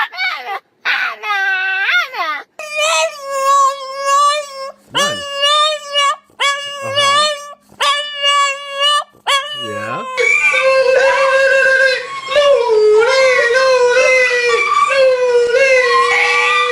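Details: Domestic dog making funny, weird sounds: a string of wavering, moaning howls, several cut into short bursts, building into a sustained, quivering howl held for about six seconds at the end.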